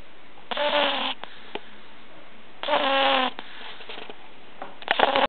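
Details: Katinka, a sleeping pug puppy, snores loudly with a nasal, slightly tonal rattle; three snores spaced about two seconds apart, the last broken into short snorts, in a quiet room.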